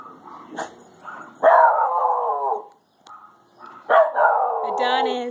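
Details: Shiba Inu dog in a grandmother's back yard, barking at a bird stuck in a bush: two long, drawn-out howling barks with harmonic, wavering tone, mixed with a woman's soothing speech.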